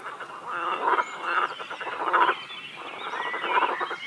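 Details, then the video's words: Frogs in a chorus at a quarry lake in Feldkirch: overlapping rasping, pulsed croaks, with a louder burst roughly every half second to second and a dense, steady croaking background. "Frog Concert Froschkonzert Frösche am Baggersee"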